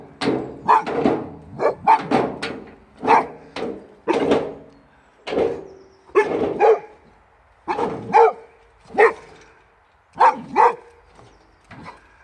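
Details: Big Boxer Rex and puppy Sammie, recorded while they had kennel cough, barking at a wheelbarrow; a fast run of sharp barks, some doubled, with short pauses between bursts.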